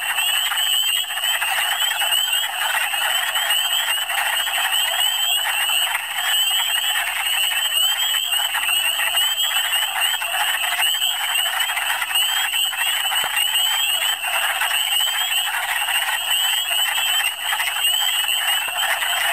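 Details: Massed wood frogs in a Michigan spring, calling in big numbers. Unbroken rattling, duck-like clucks fill the whole stretch, with a continuous wash of high whistled peeps from other frogs above them.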